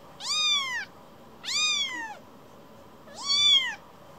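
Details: Affectionate rescued kitten, a baby cat coming back to be stroked, utters three long clear meows, each arching up then sliding down, spaced about a second apart in a quiet room.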